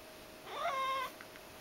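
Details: A Ragdoll cat in the kitchen gives a single rising-then-falling meow, begging for food.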